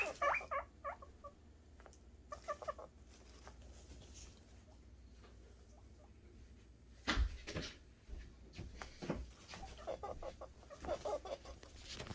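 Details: Male guinea pigs, several boars, making happy noises while anticipating food: short bursts of squeaky, harmonic chirping calls at the start, near 2.5 seconds and again from 10 to 12 seconds, with clattering and rustling knocks between.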